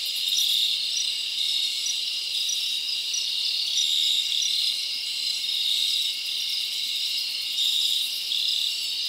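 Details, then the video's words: Night chorus of crickets in a summer forest: steady shrill trilling throughout, small brighter chirps repeated at a quick even pace, loudness swelling gently every few seconds. "Live Crickets Natural Sound"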